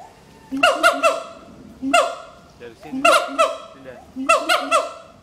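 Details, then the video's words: Two adult siamang, a mated pair at Schmutzer Primate Center, duet to advertise territory: low booming notes lead into loud, ringing barks that slide downward, in bursts of two or three, with a faint background hum. "Duet Song of Siamang Gibbons"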